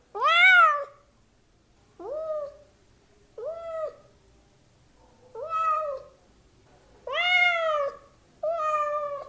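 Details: House cat meows, kittens and cats included: six separate calls spaced roughly every one to two seconds, the first and fifth loud and rich, the others shorter and softer, with a faint low hum beneath.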